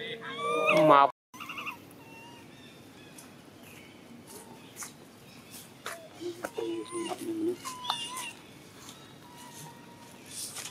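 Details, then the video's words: Baby monkey, angry after its mother refuses to let it nurse, cries loudly: a burst of harsh, harmonic screaming at the start, then a short gap and scattered, fainter tonal whimpers against a quiet background. "he very angry mom reject milk him, he crying so loudly but mom don't comfort him."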